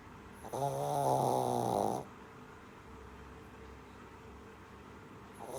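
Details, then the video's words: A Shih Tzu puppy asleep gives one buzzy, vibrating snore lasting about one and a half seconds, followed by quiet breathing pause, with the start of the next snore at the very end. "Snoring shih tzu puppy"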